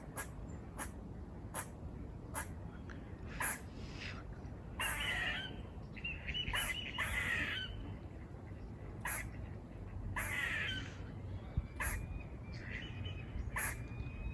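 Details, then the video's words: Wild squirrels near a farm, on the move, barking with calls that sound like 'buzz': short sharp clicking barks repeated irregularly, broken by longer harsh buzzy calls around five, seven and ten seconds, over a quiet outdoor background. "Squirrel barking calls// Squirrel noises// Squirrel buzzing sounds"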